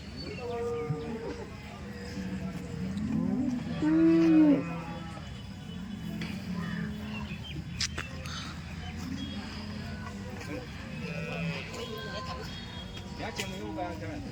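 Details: Dairy cows at the Loni cow market, one drawn-out low moo rising and falling midway through, with background music, market chatter and scattered clatter.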